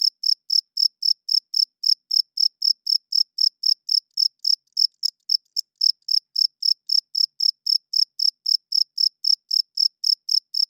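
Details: Loud night-time chirps of a cricket: evenly spaced high-pitched pulses, about four per second, run through the whole stretch, with a faint click around the middle. Nothing else is audible.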